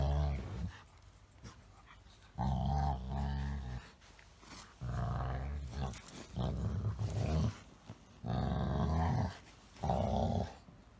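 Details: Golden Retriever Elena in a playful tussle with a Chihuahua-Shih Tzu companion, voicing strange grumbling 'dog language'; deep drawn-out growly moans in several bursts separated by short quiet gaps.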